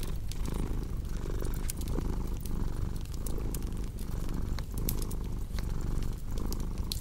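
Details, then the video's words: Cat purr, low and continuous, rising and falling in regular breath cycles under scattered bright fireplace crackles. "Purring Cat with Cozy Crackling Fireplace Sound"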